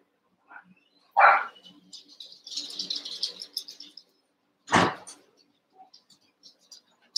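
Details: Cavalier King Charles Spaniel puppies, eight of them, wrestling and playing in an indoor pen: two loud sharp barking yelps a few seconds apart, with a stretch of high squeaky chatter and rustling between them.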